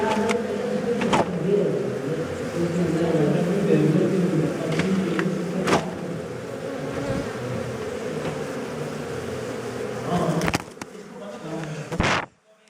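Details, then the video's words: Continuous low droning of a honey bee colony during a honey harvest from a hive inside a house. Sharp knocks and handling noises break the hum before it cuts off abruptly at the end. "Harvest Beehive and Honey"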